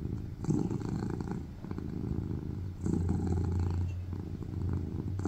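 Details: Cat purring loudly while resting on a lap indoors; a steady low rumble that swells and fades with each breath, pulses roughly every two to three seconds.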